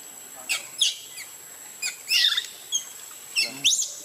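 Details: Baby monkey Luno crying in the water as his mother leaves him: a series of short, high, shrill squeals with sweeping pitch, coming in scattered bursts with quiet gaps between them.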